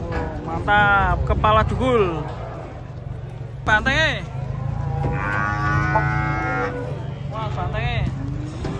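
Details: Giant cattle unloading from a truck in the morning, giving several harmonic moos, some rising then falling, others held and drawn out, over a steady low engine rumble and faint voices.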